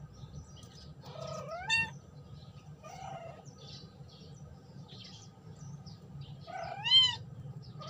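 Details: Domestic cat calling its friend: two drawn-out, rising-then-falling meows with bright harmonics, about five seconds apart, over a steady low hum and faint background noise.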